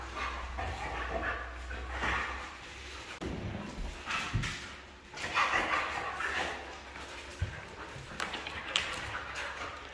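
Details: Red female Siberian husky giving scattered, broad, noisy bark-like vocal bursts in uneven bursts over ten seconds, some brief and sharp, others drawn out, against a constant low-frequency hum.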